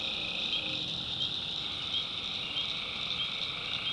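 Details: Swamp at night in the North Carolina backwoods, where tree frogs keep up a steady, piercing high chorus. Brief squeaky notes flicker through it while insects buzz continuously.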